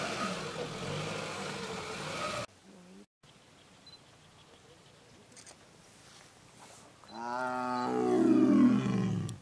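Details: Mating leopards at Ranthambhore National Park, India, give a harsh rolling roar for two seconds, then near silence with faint ticks, then a rising, rich, harmonic snarl that swells louder to the end.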